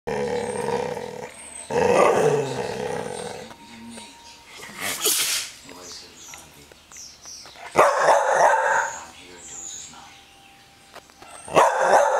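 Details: Bull terrier growling and barking: several loud, rough bursts with sustained gravelly midrange energy, separated by quieter gaps with faint background noise.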